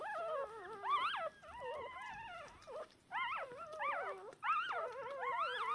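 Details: Three newborn Shiba Inu puppies, two female and one male, about three hours old, still deaf and blind, call for their mother in high, wavering, overlapping squeals and whimpers; recorded 19 October 2022.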